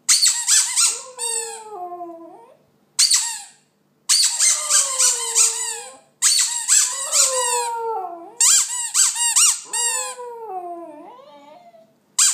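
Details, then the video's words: West Highland White Terrier singing in a small room: bursts of shrill, squeaky yelps that each trail off into a drawn-out, falling howl, separated by short silent pauses. "Westie singing"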